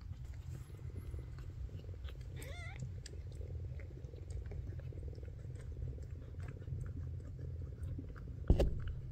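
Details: A brief wavering cry from Ash, a young Maine Coon kitten who was the last in his litter to open his eyes. The cry comes early and quivers up and down over a constant low hum, with a sharp knock near the end.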